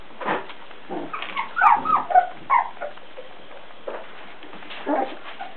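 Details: Beagle puppies aged four weeks make a few short squeaky whines, clustered in the middle of the recording, with softer faint yelps before and after.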